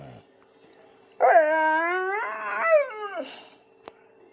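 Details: Male Bullmastiff howling while begging for his food at dinner time: one drawn-out whining howl about two seconds long, rich in harmonics, holding steady then bending down at the end, after a brief silence, with a faint hum underneath.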